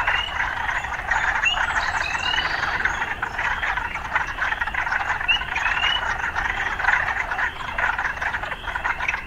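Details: Urban frog chorus: continuous buzzing, pulsed croaking from many frogs, overlaid by a few scattered rising chirps.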